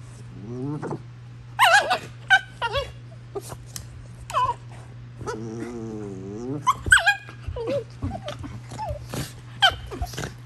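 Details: Prisca, a female Basenji, acts tough with playful wild-dog-style squealing that is all for show; frequent short wavering squeals and yelps, some sliding up and down, broken by brief pauses, with a constant low hum underneath.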